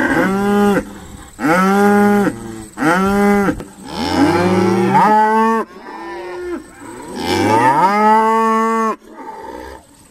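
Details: Stone Meadow Farm's Irish Dexter cows during sorting: three strong, even moos in quick succession, then longer overlapping calls from several cows, one sliding downward, and a final loud drawn-out moo.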